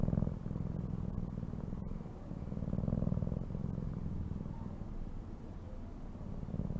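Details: A cat purrs continuously, a deep buzzing rumble pulsing quickly and evenly, rising and falling softly with each breath over several seconds.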